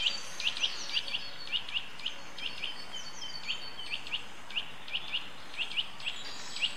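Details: A Eurasian red squirrel (Sciurus vulgaris) gives sharp, high chirping calls, often in quick pairs, repeated steadily, in Rombergpark Botanical Garden on 3 March 2013.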